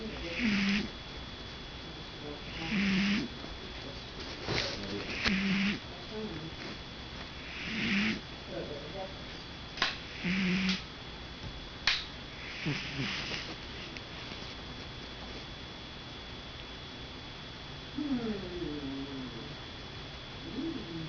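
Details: A sleeping domestic cat snoring, with soft rasping breaths repeating steadily about every two and a half seconds, around eight in a row, then fading into quieter, less regular breathing at the end.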